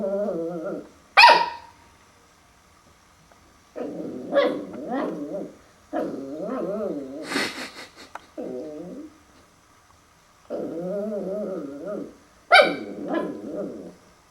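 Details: Puppy Max meets his own reflection in a mirror for the first time, alternating long rough growling bursts with a few sharp barks and several quiet pauses, over roughly fourteen seconds.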